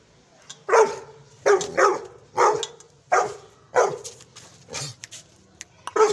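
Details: Gull Terrier (Canis lupus familiaris), bark.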